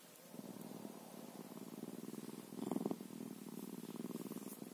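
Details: Bobcat purr, a fast even vibrating rumble, briefly louder in the middle of the clip.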